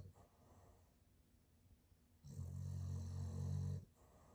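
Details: A sleeping Boston terrier snoring loudly indoors: after a quiet stretch of faint breathing, one long, deep, rumbling snore lasting about a second and a half, steady and low-pitched.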